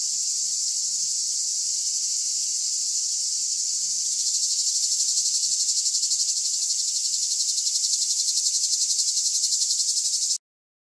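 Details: Harsh, continuous high-pitched buzzing of cicadas, rising in loudness midway into a more strongly pulsed drone, then stopping abruptly.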